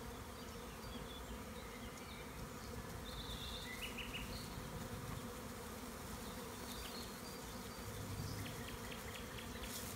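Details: A spring swarm of honey bees in a tree in the Maremma countryside of Tuscany, Italy, being caught by a beekeeper: a thick, even humming drone throughout, with scattered short bird chirps and a few high ticking notes.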